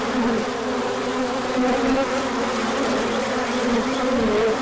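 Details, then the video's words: Many bees swarm out for a big orientation flight on 24 March 2024, the sun returning after a colder spell; continuous droning hum with wavering tones rising and falling as individuals fly near. "Large Orientation Flight."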